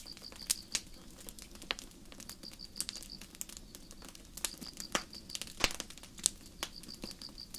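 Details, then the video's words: Crickets in a forest at night keep up high, rhythmic, pulsing chirps in short bursts, accompanied by frequent loud pops and crackling from a campfire. "焚き火と虫の声 – 星降る夜の森 | Sleep Sounds: Campfire & Crickets"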